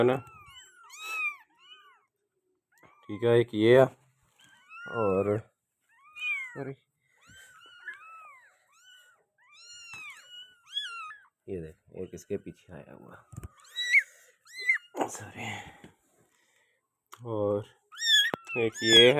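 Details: Persian doll face kitten meowing repeatedly: high, thin, arched mews in quick runs, some faint and some louder, with bursts of human speech breaking in between the calls.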